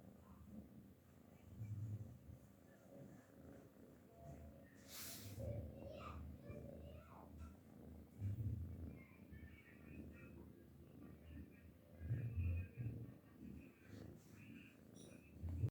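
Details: Domestic cat purring while asleep, a low continuous rumble rising and falling in loudness every few seconds, with a brief rustling noise near the start.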